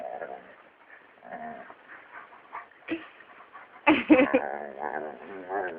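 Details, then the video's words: A pet dog making a funny sound: wavering, whiny vocal tones with harmonic sweeps, quiet at first, then a louder burst of squeaky yelps near the end, rising and falling in pitch. "Dog makes funny sound"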